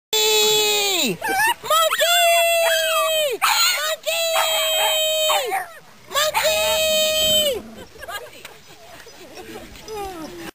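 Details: Pug named Brutus making his monkey sound: a falling squeal, brief bursts, then three sustained, harmonic, screech-like tones about a second and a half each with drooping ends, fading to quieter murmurs after eight seconds.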